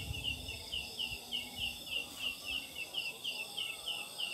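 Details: Large leaf katydid, known in Sundanese as ciang ciang, calling at night from jackfruit trees: high, sharp chirps like a chick's, repeated about three times a second in a steady series over a faint background hum.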